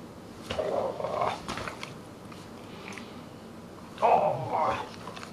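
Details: Truus, a pet dog that is three-quarters Dogue de Bordeaux and one-quarter Rottweiler, indoors, gives two mid-pitched, drawn-out grumbling vocal bursts, each about a second long, separated by a few seconds of quiet room sound.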